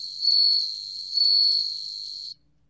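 A bell cricket sings a clear, high, ringing trill that runs steadily for about two seconds.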